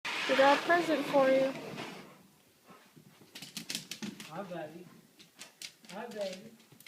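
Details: Siberian Husky greeting its owner, a Marine, returning home on 12/24/12, indoors; wavering, whining howl-like vocalizations rising and falling in pitch, in several bursts, with clicking and tapping sounds and human voices between them.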